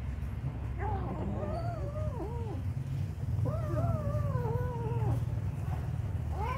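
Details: Kitten being given food, giving several rising-and-falling harmonic meows in quick succession, two clear bursts with a steady low rumble of background noise throughout.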